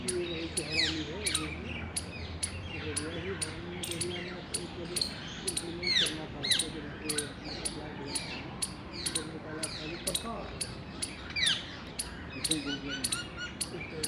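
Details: Mating Indian squirrel calling in the wild on 19 February 2021: dense, insistent run of high, snapping chirps, almost continuous, with scattered bird twitters and a low background of Hindi speech.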